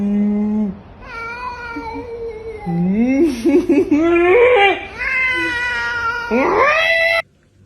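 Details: Pet cat in a humorous compilation letting out a run of wailing meows that slide up and down in pitch, some wavering and strained, with short gaps between calls and a final rising cry.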